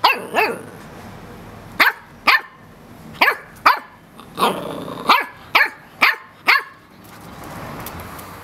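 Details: Cocker Spaniel; barks; playful mock attack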